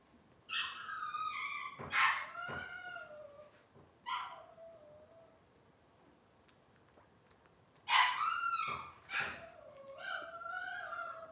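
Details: Several loud, wavering whines with falling tails come from Cavalier King Charles Spaniel puppies of Robin's litter on a livestream, in two clusters separated by a short lull.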